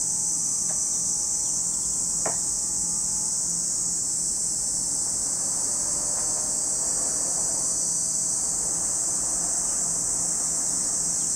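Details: Cicadas at Lake Kamo in Sado City, Niigata Prefecture, Japan: a dense, steady high-pitched shrill drone running unbroken through the whole recording, with a couple of faint clicks early on.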